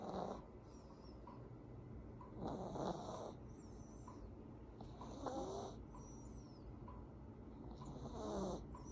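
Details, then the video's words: A sleeping Affenpinscher snores: raspy, rattling bursts return about every two and a half seconds, each carrying a thin whistly overtone, with quiet breathing between them in a small indoor room. "코골며 자는 강아지 모먼트"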